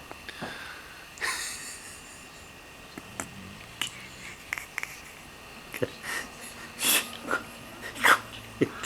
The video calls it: Mae the Redbone Coonhound snoring away like an old man.